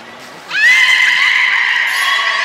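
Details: Single beluga call recorded on 16 March 2019 at Port of Nagoya Public Aquarium, Japan, while eating fish and playing: a loud, sudden upswept squeal that levels into a long, steady, bright whistle lasting about two seconds.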